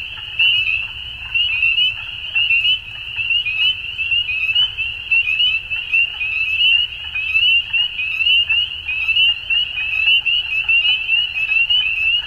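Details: Many frogs calling together at dusk, producing a continuous high trilling chorus with repeated louder bursts roughly every second and a quiet low background rumble.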